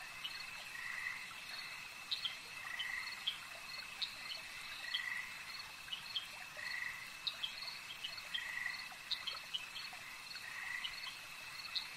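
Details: A chorus of frogs by a lake: repeated rough croaking bursts every one to two seconds over a steady shrill background drone, with crisp higher ticks scattered between calls.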